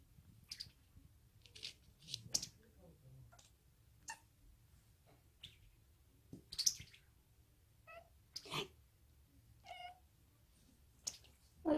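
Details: Five-month-old odd-eyed short-legged female Munchkin kitten chattering indoors as a toy is brought out, apparently learned from housemate cats; short, high, chirpy bursts come in irregular runs, with a woman's soft speech underneath.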